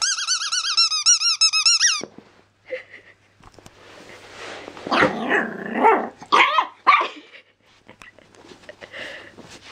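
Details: Danny, a seven-week-old black-and-white male Jack Russell–Pug cross puppy, barking this much and this loudly for the first time, gives high, yappy barks at a toy's harmonic squeaks.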